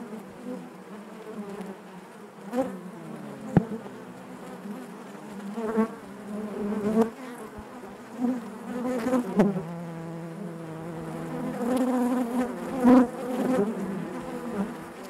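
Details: Many honey bees droning inside the hive, a rich low buzz with shifting overtones, interrupted by sharp clicks and faint knocks and surging louder passes of nearby bees toward the end.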